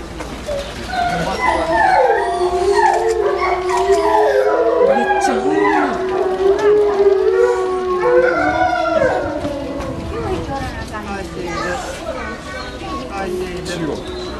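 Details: Wolf at Tennoji Zoo in Osaka, Japan, in March 2014, caged, giving overlapping wavering howls that rise and fall, several voices layered in a continuous chorus with whining, yelping inflections, loud throughout.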